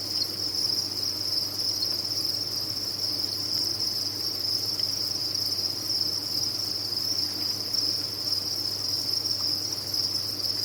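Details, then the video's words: Many farmed crickets call together in a constant shrill trill, even and unbroken for the whole stretch, with a faint low background hum. "Sound of a Cricket Farm"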